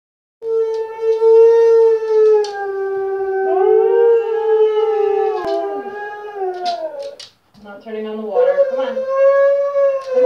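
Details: Two huskies indoors watching husky videos on television: long, sustained, wavering howls with rich harmonics, a brief break near seven seconds, then a rising yodel-like howl resuming, likely mixed with dog sounds from the television.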